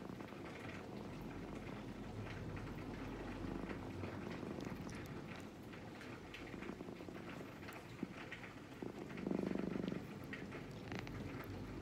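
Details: Brown-and-white cat waiting calmly as it is stroked, giving a soft, continuous low purr under rustling handling noise, rising to a stronger rumbling burst near the end.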